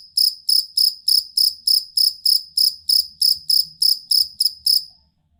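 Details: Steady high chirps of a jangkrik kalung fighting cricket, recorded for training songbirds, about fifteen regular pulses before stopping near the end.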